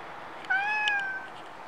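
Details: Stray cat in Japan, captured on a Nikon D5300, giving a single drawn-out meow lasting about three-quarters of a second, steady in pitch with a rich harmonic tone, over faint background hiss.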